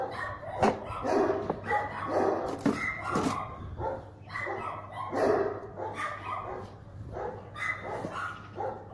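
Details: German Shepherd during guard-quality test No. 77, first entry made cold without warm-up: a run of harsh, harmonic barks in irregular bursts, roughly two per second, with a steady low hum underneath.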